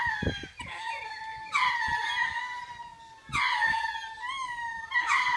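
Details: Captive lemurs giving their twice-daily territory call to claim the land and scare off unwanted birds or predators: long wailing, sustained tones that swell in loud bursts about every two seconds, indoors.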